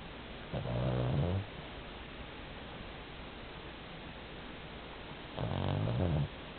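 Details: An 11 kg Pomeranian asleep, snoring like an old man: two low, rumbling, buzzy snores about a second each, roughly five seconds apart, with quiet room hiss between.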